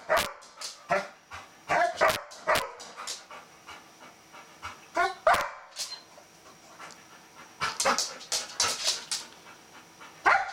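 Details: Golden Retriever, female, worked up at the sight of a bristlenose catfish she wants to play with; short clipped yelps in irregular bursts, some panting-like breaths and brief pauses between volleys.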